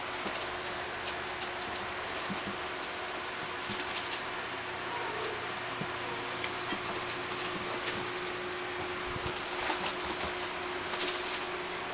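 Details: Steady hiss and a low hum fill a small room, with soft rustling and occasional handling bumps.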